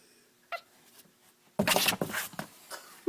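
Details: Small kitten found in the middle of the road, apparently hoarse or clogged up, gives rough, breathy, noisy bursts lasting about a second, then a short clear squeak at the end, indoors in a small room.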